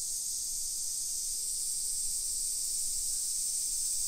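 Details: Summer cicadas sing along hillside residential streets in Nisshin, suburban Nagoya, Aichi Prefecture, Japan, at 1 PM on 28 July 2021: a dense, steady, hissing high-pitched drone, unbroken and even in loudness throughout.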